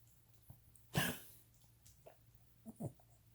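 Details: A Cavalier King Charles Spaniel with degenerative valve disease, an enlarged heart pressing on his trachea and intermittent fluid in the lungs, gives a harsh, rasping cough followed by a few smaller hacking coughs.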